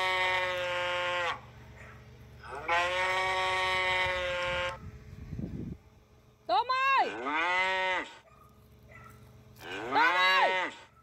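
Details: Cattle lowing: two long flat moos, a burst of low rumbling noise, then a quick upward-sweeping double moo and a final rising, falling call, all strongly harmonic.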